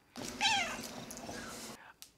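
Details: Domestic cat meowing, which its owner says is a request to be played with: one loud, falling meow with rich overtones, followed by a steady background hum and a short click near the end.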